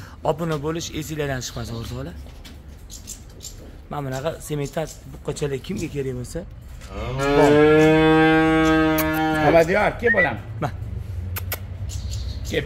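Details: Simmental bull calf offered for sale, lowing once in a sustained, even moo lasting about three seconds, set among stretches of music and talking voices before and after.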